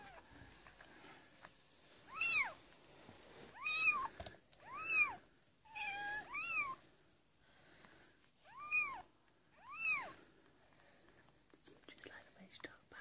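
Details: Cat Amber giving birth to four kittens indoors, 22 February 2017, labour starting around 7 PM; a series of seven loud, high, arch-shaped mews, each rising then falling, spaced one to two seconds apart over quiet room background.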